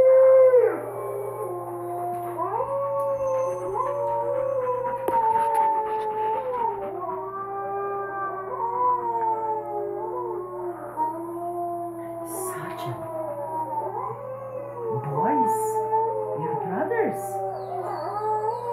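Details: Pet Alaskan Malamute female howling along to wolf howls playing online; several long, wavering, overlapping tonal howls stepping up and down in pitch continuously for nearly twenty seconds, with a steady low hum beneath.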